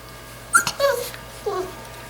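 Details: Five-week-old Labrador Retriever puppies: a few brief, high, squeaky yelps and whines within two seconds, the last one falling in pitch, in a quiet indoor room.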